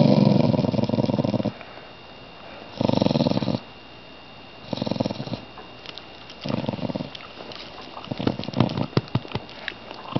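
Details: A domestic dog, which first growled and then fell asleep, snores indoors: regular harsh rumbling breaths roughly every two seconds, separated by quiet pauses, with soft clicking toward the end.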